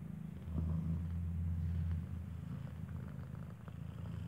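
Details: Steady low rumbling purr, louder in the first two seconds, while a newborn kitten with eyes still closed suckles from its mother Kartopu, a cat who gave birth inside a building; faint background hum.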